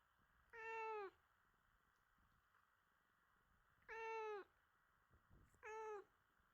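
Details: Cuddly domestic cat mewing in a quiet room, three smooth plaintive meows at irregular intervals, the final one shorter and preceded by a faint soft rustle.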